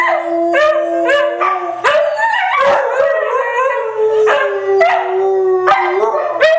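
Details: Three white huskies howl together in a group sing-along, long sustained tones overlapping, some rising and falling in pitch, with new howls starting every second or two and a few short yelps between them.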